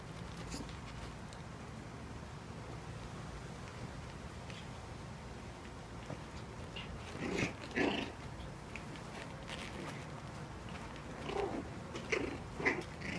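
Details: Four-week-old Cairn Terrier and Papillon cross puppies play-fighting indoors, giving short high yelps and squeaks in scattered bursts, clustered around the middle and end, over a low steady background rumble.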